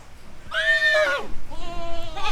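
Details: Goat (Capra hircus), bleat.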